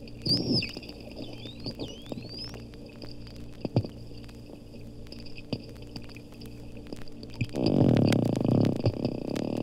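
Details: Two captive dolphins recorded underwater at the Lerner Marine Laboratory, Bimini, Bahamas: bird-like whistles sweep upward and loop high, with scattered sharp clicks and a brief low creaky burst near the end.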